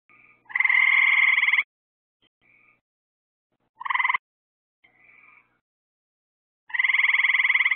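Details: At night, frogs call near lights added to lure insects: two long, loud, rapidly pulsed buzzy trills about six seconds apart, with a short trill and soft brief notes from other frogs between.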